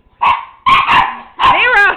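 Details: One-year-old Miniature Pinscher chasing a flashlight's light, another dog nearby: three loud, harsh barks, the first short, the next two longer and ringing, with a man's voice overlapping at the end.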